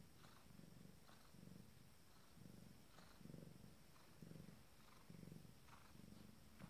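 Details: Abyssinian cat, a female with her first litter, purring a few minutes before giving birth: low, rhythmic purr in steady pulses, about one cycle per second, each rising and falling with the breath, faint background hiss.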